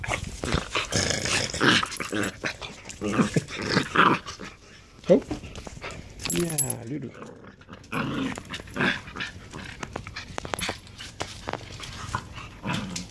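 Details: Corgis greet their owner on arrival with excited whines, grumbling growls and yelps while a person talks.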